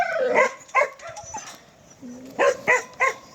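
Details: Korean Jindo dog letting out short, yelping barks, two at the start and three more near the end, with a brief whine-like tone between them.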